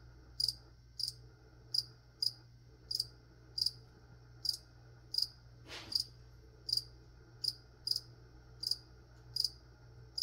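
A cricket gives short, high, pure chirps, repeated steadily a little more than once a second.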